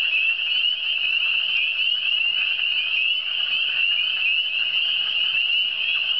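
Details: Eastern Townships frogs form a thick, continuous wall of high-pitched trilling calls, many voices overlapping without pause, over a faint steady hum.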